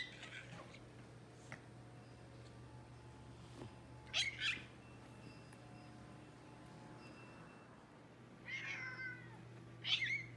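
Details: Indoor pet American Shorthair tomcat, classic silver tabby, making his excited 'squeaky' talk when eager to play: short high chirping squeaks in small bursts near four, eight and ten seconds, separated by quiet room hum.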